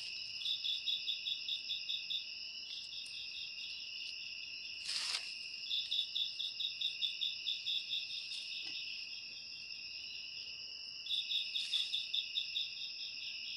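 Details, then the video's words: Cricket chirping in bursts of rapid, evenly pulsed notes over a steady shrill background drone, with pauses between bursts and a few sharp clicks or knocks scattered through, for ASMR listening. "Suara Jangkrik"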